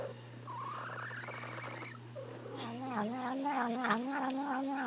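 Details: A domestic cat makes weird noises: a rising harmonic cry, then a long wavering, pulsing yowl that swells and dips about three times a second, over a steady low hum.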